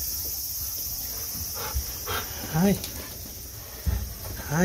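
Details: A Golden Retriever, happy as it nears its cool room after a walk in the summer heat, gives brief high, quavering whines, with a person speaking softly and footsteps outdoors.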